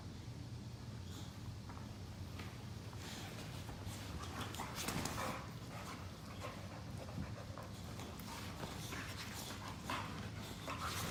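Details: Two pet Boxer dogs play lazily on a couch after tiring of chasing each other, giving low rumbling growls and heavy panting, with scuffling thumps and rustling throughout.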